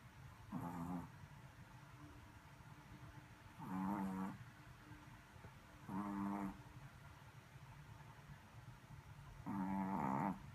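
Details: Shih Tzu puppy snoring: four low, rumbling snores with a nasal, harmonic tone, spaced about two to three seconds apart, over a quiet room background.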